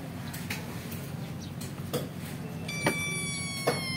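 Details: Kitten taken from its mother while still nursing gives a long, high, thin meow held steady near the end, after soft knocks and thuds, over a low background hum.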